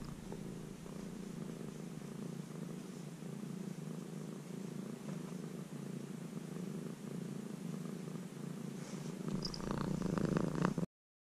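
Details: Formerly stray kitten, tamed over three months into near house-cat life, giving a long, steady, low purr. The rumble pulses evenly throughout, recorded from very close. Rustling noises grow louder just before it cuts off.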